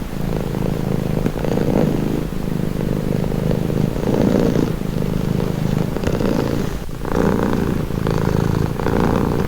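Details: Low, rumbling purr of a domestic cat, evenly sustained with gentle surges about every two seconds as it inhales and exhales; no competing noise.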